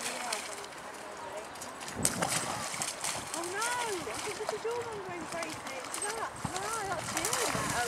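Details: Golden Retriever puppies Jessie, five months, and Alfie, nine months, play fighting in Canons Park on 26 November 2009; arching high whines and yelps recur through the clip amid scuffling and outdoor background noise.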